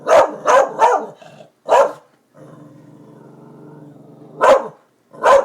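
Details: Excited by the construction crew at the new buildings, Darby the dog gives three rapid barks and a fourth, then a long rumbling growl, then two final barks.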